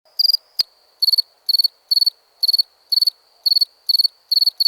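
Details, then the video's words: Cricket chirping in clean, high, bright bursts, each of about four rapid pulses, repeating roughly twice a second over a faint steady high trill, with one sharp click early on and no other sounds. "Cricket Sound Effects"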